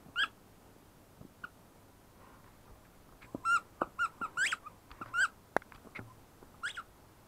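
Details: {'text': 'Ten-week-old female German Shepherd puppy whining: short, high, tonal whimpers, some rising and falling. They come in scattered bursts with quiet gaps and faint background hiss.'}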